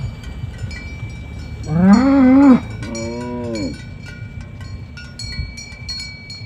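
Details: Village cattle walking through a green grass field, driven toward the pen in the morning: two moos in succession, the first loud and arched, the second softer and shorter, against steady ringing cowbells and low rumbling background.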